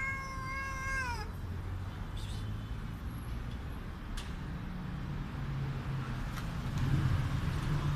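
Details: Hungry street cat meowing very loudly while being fed: a single long, harmonic-rich meow sliding downward in pitch over about a second, then steady low traffic rumble and faint distant noises.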